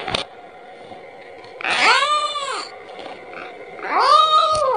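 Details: Kitten calling for its mother and asking for milk: two long arched, harmonic-rich meows, the second stronger and wavering, with a faint steady hum indoors between them.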